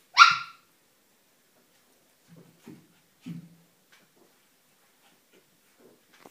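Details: Ee-red (rouge australien) Border Collie playing with one-month-old puppies: one sharp high bark or yelp, then three short, low, rough growling grunts spread over several seconds, with near silence between.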